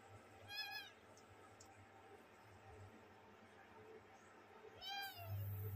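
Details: Playing kittens, little ones pampering each other, let out two short mews about four seconds apart, each a quick rising-falling cry, with a low background hum and faint rustling between.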